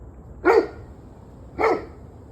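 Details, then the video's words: Two loud, abrupt dog barks about one second apart, recorded 21 November 2023 at 7:06 pm, each a short harsh burst over a low, quiet background. "26 Minutes of Barking Dogs"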